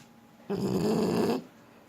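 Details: One rasping, fluttering snore of just under a second from a French Bulldog while it sleeps, broad and noisy, followed by silence.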